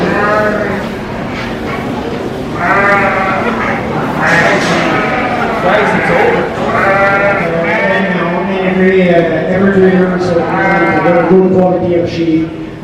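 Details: North Country Cheviot sheep at the 2023 Royal Agricultural Winter Fair show in Toronto, Canada, bleat in wavering, nasal bursts over a steady murmur of human voices.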